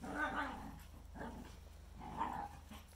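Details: Shikoku and Karelian Bear Dog, two primitive dogs, playing and running outdoors on a freshly melted, slippery pond surface; rough, throaty growl-barks in two bursts about two seconds apart, over a steady low hum.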